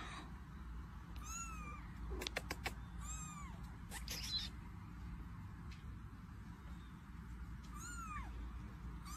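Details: Domestic cat meowing in short, rising-then-falling mews spaced a few seconds apart, fairly faint beneath a steady low hum, with a few sharp clicks and knocks in between.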